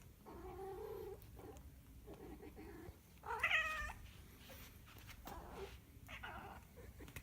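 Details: Domestic cat caterwauling indoors: wavering, drawn-out harmonic yowls, the loudest a bright rising-and-falling cry midway, separated by short clicks and quiet gaps.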